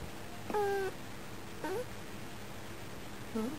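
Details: Female house cat at a window watching birds and chattering at them; three short, quiet chirp-like meows spaced about a second apart, the middle one rising upward, over a low room hum.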